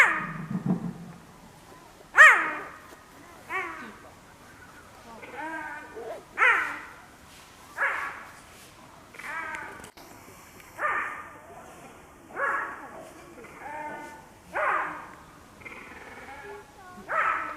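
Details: Cheetah in a zoo enclosure at Tama Zoo, Japan, calling over and over, apparently wanting to go home; a series of short yelping, chirp-like calls, partly dog-like and partly cat-like, roughly every one to two seconds.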